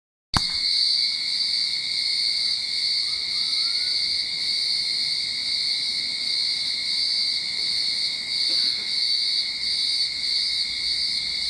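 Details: Cicadas singing in a Sydney backyard at the start of summer: a dense, unbroken, shrill drone with strong high bands, beginning abruptly after a short silence and holding steady throughout.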